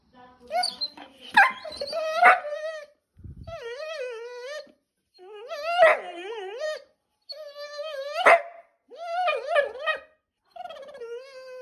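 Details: A Vizsla, described as mad, gives a run of wavering, moaning whines and yowls, rising and falling in pitch.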